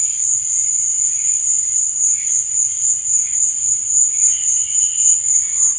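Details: Crickets at night give a steady, sharp, high-pitched trill of rapid pulses that never pauses, backed by quieter wavering buzzes lower down.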